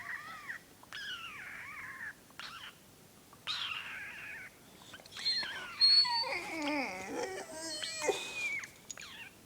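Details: Pet dog Alfie, looking inquisitive, responds vocally while his owner makes a strange noise: drawn-out whining, howl-like calls that rise and fall in pitch, growing louder and more wavering midway, with a person calling his name.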